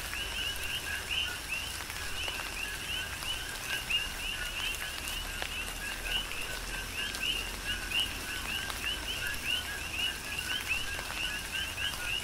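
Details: Coqui frogs serenading in tropical rain on Hawaii's Big Island, with a continuous overlapping series of short, whistled, upward-flicking chirps and lower paired notes, under steady rain noise and intermittent raindrop hits.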